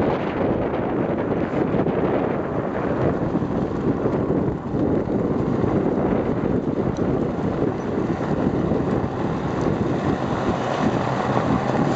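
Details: Steady loud wind buffeting the microphone through the whole stretch, with no animal voice.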